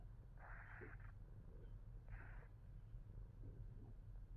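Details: Fat Boy, a Himalayan Persian cat, purrs in a deep, even throb, broken by two short breathy huffs near the start and middle.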